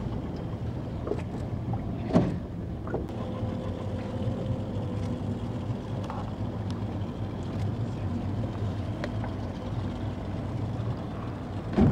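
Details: Boat engine rumble and wind on a river boat trip through Brazilian wildlife habitat, with a steady mechanical hum, scattered knocks and clicks, and no clear animal voice.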